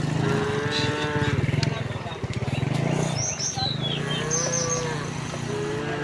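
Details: A herd of cows heading home along village streets on a bright morning. A low moo opens, then a second moo follows later, over a steady throbbing engine-like rumble and brief high bird chirps.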